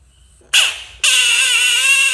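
A frog lets out a loud, shrill scream, sustained and slightly wavering after a brief harsh opening burst.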